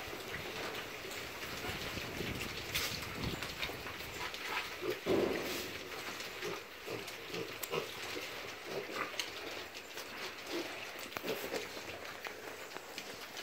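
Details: Hungry little domestic piglets of a micro breed give scattered short, gruff grunts, a little louder near the middle, against constant broadband hiss.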